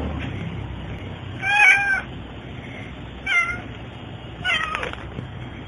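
An American Shorthair cat meows three times, the first call longest, over a low background hum.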